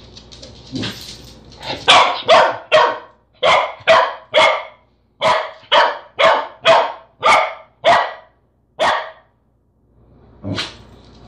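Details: A corgi barks at a peanut butter jar in quick, sharp bursts, about two each second, then pauses.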